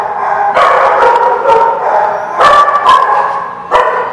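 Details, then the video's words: Steady chorus of dog barks at The Barking Lot, 8/12/16, with mid-pitched yaps overlapping with no real pause and a few sharper, louder barks standing out near the middle and end. "The Barking Lot"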